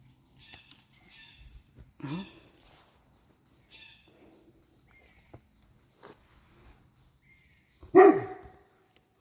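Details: A dog in a backyard long-bean garden, excited by startled turkeys calling nearby, gives two sharp, loud barks, the first near two seconds and a louder one near eight, with a person talking quietly between.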